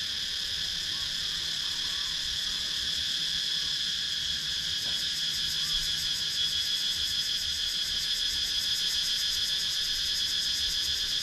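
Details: Cicadas in the wooded countryside of Sakon Nakhon, Thailand, captured on a GoPro Hero 9: a dense, shrill, unbroken drone stacked in several high pitches, with a fast shimmering pulse riding on top throughout.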